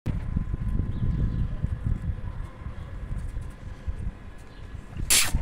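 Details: Low rumbling outdoor noise, like a passing vehicle, fills the recording, with a brief sharp hiss near the end.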